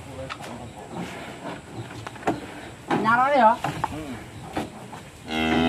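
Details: Cattle on the loose during delivery of three big animals, rampaging and nearly breaking away; a wavering mid-pitched bellow, then a strong sustained moo at the end, against background talk and handling noise.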